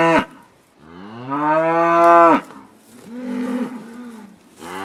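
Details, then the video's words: Pasture cows mooing: a long, loud, steady harmonic low lasting over a second, followed by a softer, lower moo and the start of another call, with quiet between. "Cows on pasture/ Kühe auf der Weide/ Krowy na pastwisku"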